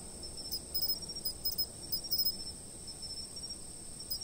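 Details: Short stretch of insect sound from a fixed camera: a continuous thin, very high ringing trill with brief clusters of sharper chirps and a low background rumble.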